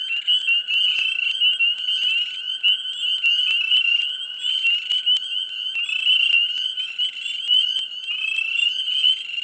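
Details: Frogs in a dense swamp chorus in mid spring: piercing, continuous high trills with warbling overlapping notes and frequent sharp clicks, loud and pulsing throughout with no quiet breaks.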